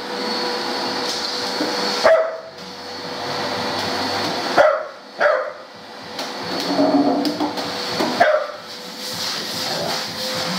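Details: Dog barking at a vacuum cleaner: a few sharp isolated barks and yips spaced a couple of seconds apart, rising out of the constant roar and whine of the running vacuum indoors.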